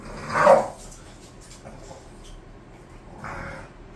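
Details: Pet bulldog sound from bored Khan and Ali: one loud, brief whimpering yelp early on, then quiet. A softer, longer whine follows near the end.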